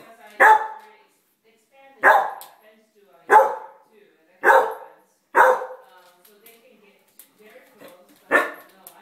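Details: Five-month-old pet puppy indoors, barking at a painting of a cat in a dining room, filmed on an iPhone; six short, sharp barks spaced one to three seconds apart, with a pause before the last, and faint human voices.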